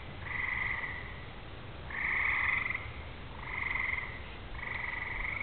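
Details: On a summer evening before rain, with fireflies out and far-off thunder, a frog chorus gives long buzzy trills about a second each, in four clear waves, with softer trilling between them over a faint low rumble.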